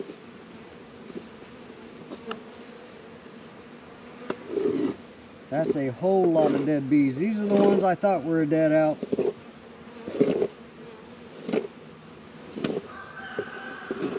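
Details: Honey bees working at hives in an apiary in northern Kentucky on a 72-degree February day, Langstroth and Warré hives: a steady low humming drone runs throughout, broken midway by a few seconds of human speech and scattered clicks and knocks.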